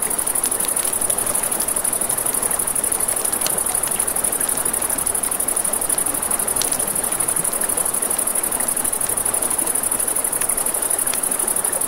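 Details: Crickets at night by a river next to a crackling campfire: an unbroken, very high shrill trill runs throughout, over a steady rushing of water and sharp pops of burning wood.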